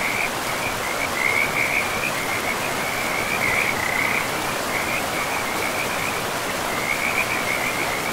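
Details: By a forest river, several frogs keep up dense bursts of high trilled croaks, overlapping and clustering every second or so, while the river's steady hiss fills the background.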